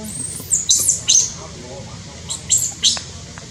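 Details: Newborn baby monkey in Cambodia, born high in tall trees, giving shrill, very high squeals in short bursts, about six over three and a half seconds, some in quick pairs, over a low steady rumble.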